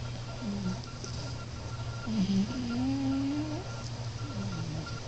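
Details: Alex, also called Moo, a sleeping pet cat snoring: one drawn-out nasal whistling tone that slowly rises over about a second and a half, with a shorter note before it, over a steady low background hum.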